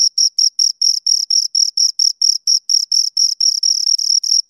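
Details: Two crickets giving loud, piercing chirps at close range, evenly spaced pulses about four each second, each a buzzy high note with a faint overtone, no other noise.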